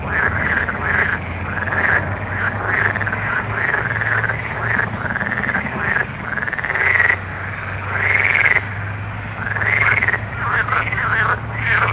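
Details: Many frogs croaking after dark, rounded rising-and-falling calls stacking up in waves, louder clusters around the middle, with a low steady hum underneath.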